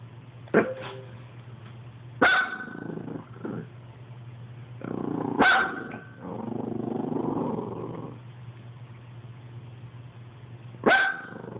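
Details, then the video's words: A dog barking at an Xbox: sharp, loud barks at irregular intervals, some in quick pairs, separated by lower growly rumbles, over a steady electrical hum. "Dog barks at xbox"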